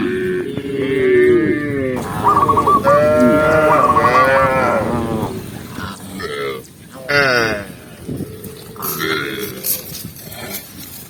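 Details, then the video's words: Tame cows herded down a green hill; a series of long, throaty moos, some overlapping, with brief whistle bursts early on and scattered thuds and rustling toward the end. "cow sound cow Moo"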